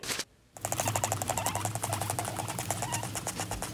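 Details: Guinea pig teeth chattering, a warning for others to stay away, made when annoyed by another guinea pig or over territory: a rapid train of sharp clicks, roughly four per second at first and then quickening, over a low steady hum indoors.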